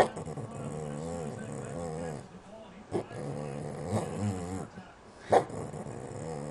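A Boston Terrier whines in long, wavering, groaning tones that rise and fall.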